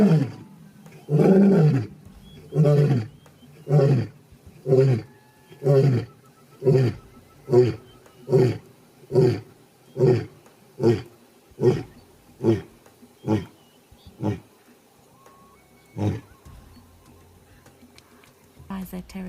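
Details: A male lion (Panthera leo) roars in a long series of deep, grunting pulses that speed up and fade, claiming territory, warning other lions not to challenge, and locating pride members; Lion.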